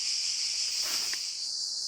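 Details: Cicadas singing on a beautiful morning at a rural spot where they can always be heard: a steady, high-pitched buzzing drone that never breaks, with one brief faint tick partway through.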